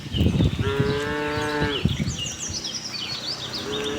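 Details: Friendly herd of cattle wandering a farm in search of green grass; a steady, level moo lasting just over a second, then a second moo starting at the end, with shuffling hooves and scattered bird chirps.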